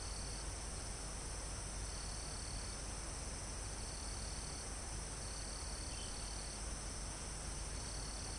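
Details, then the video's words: Crickets and other insects in a calm forest almost at the top of a mountain, recorded live: steady high-pitched shrilling with pulsed trill bursts every second or so over a constant wash of wind through foliage and trees. "Calm Forest in Mountain With Crickets, Insects Sound"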